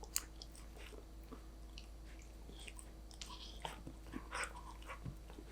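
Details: Golden Retriever puppy Danbi eating snacks: quiet, irregular crunching and biting clicks scattered across about five seconds, sharp bursts now and then, over a steady low hum.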